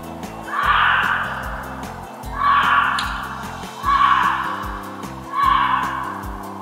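A gray fox gives hoarse, scratchy screams, about one every one and a half seconds, over background music.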